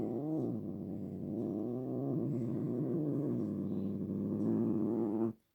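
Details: House cat giving one long, unbroken low moan, rough and buzzy, with pitch sliding gently up and down before stopping abruptly.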